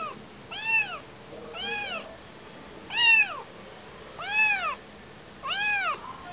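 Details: Kitten that lost its mother mewing five times, each call a clear arched wail rising and dropping in pitch, repeated at intervals of just over a second against a quiet background.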